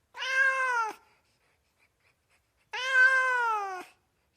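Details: Two drawn-out cat meows, the second longer at about a second, both steady then dropping at the close, separated by nearly two seconds of silence.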